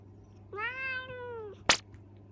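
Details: Male Minuet kitten, under a year old, answering its owner's scolding for mischief with a single long, level meow that dips at the end, followed by a sharp click and a faint low hum.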